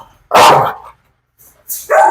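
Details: Dog in a Malayalam dog challenge, being provoked to bite: one loud, broadband bark lasting about half a second, then quiet and the start of a second burst near the end.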